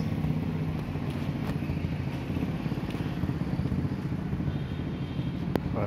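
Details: Outdoor street scene with steady low rumble of passing motorcycles and vehicles, people talking faintly in the background; no animal voices heard.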